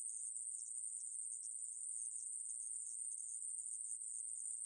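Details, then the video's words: Continuous high, sizzling drone of a conehead katydid (애매부리), 2020 National Institute of Biological Resources recording, running without pause from start to finish with a clean, quiet background. "애매부리, 여러번 듣기, 곤충소리"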